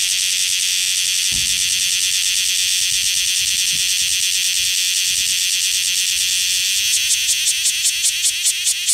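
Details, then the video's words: Cicadas of the species Cryptotympana facialis calling on Rokko Island Greenbelt: a continuous piercing drone that near the end breaks into quick rhythmic pulses, with a few faint low knocks underneath. "Cryptotympana facialis cicadas on Rokko Island Greenbelt"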